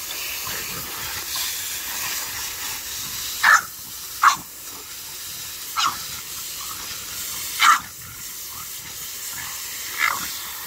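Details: French bulldog at play, treating a garden hose as if it were alive: short sharp yaps every one to two seconds over the steady hiss of spraying water.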